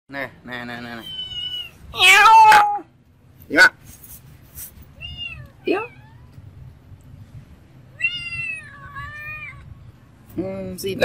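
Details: Cats and kittens eating rice with fish soup at a monastery in Siem Reap, Cambodia; several loud, harmonic meows, one strident and drawn out near the middle, others shorter, some falling in pitch, over low background noise.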